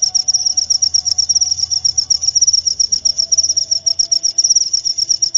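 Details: High, shrill cricket chirps come in quick, evenly spaced pulses, a continuous insect rhythm with a faint low tone and light background hiss.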